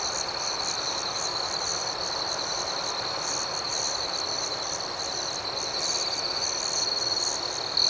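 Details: Nighttime cricket chorus outdoors, a continuous high-pitched trill with quick rhythmic pulses over soft background hiss, growing slightly louder toward the end.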